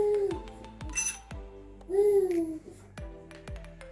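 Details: Music plays with short plucked and clinking notes, a few sliding tones and some brief speech, in a small room; no animal voice can be picked out.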